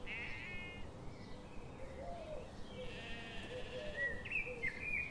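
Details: Sheep grazing in a forest in the morning sun, giving quavering, wavering bleats with layered harmonics, overlapping steady chirps and whistles of small birds and a soft background hiss.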